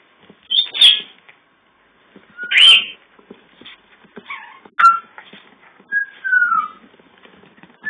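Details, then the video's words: Several puppies, days before leaving for new homes, trade sharp high yelps and squeaks spaced a second or two apart, ending with a thin whine that falls in pitch. "Bubbles & Puppies"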